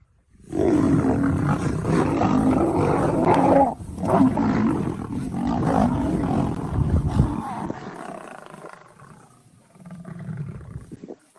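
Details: Lionesses defending a leopard from dominant male lions: loud, harsh, rasping roars and snarling growls pour out almost without pause for about seven seconds, then fade, and a lower rumbling growl returns near the end.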